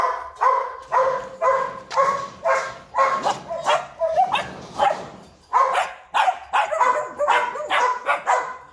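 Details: Purebred large-line Rottweiler from a kennel in Vietnam giving a steady run of deep, rough barks, about two per second, with a brief lull in the middle before the barking resumes.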